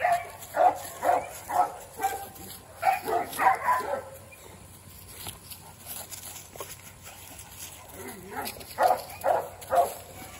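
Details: Merle female Midgard Mastiff puppy giving short repeated whining yelps in bursts, several quick calls near the start, a second burst around the middle and three more at the end, with a quiet indoor background.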